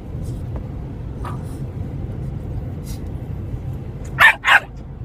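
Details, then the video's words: Two American Staffordshire Terriers, Varonos and Bebba, at playtime: a low steady rumble with faint scuffs, then two short, sharp barks in quick succession near the end. "amstaff playing"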